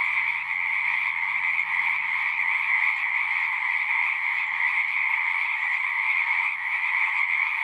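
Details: Chorus of many singing frogs, a dense unbroken wall of high trilling croaks at two steady pitch levels, one mid and one higher, with a faint low hum underneath.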